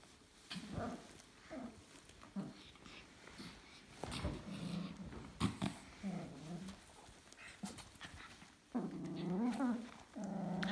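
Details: Dog and its new carrier: repeated low, wavering whines and moans, some drawn out and rising, with a louder sustained whine near the end, over scraping and knocking noises.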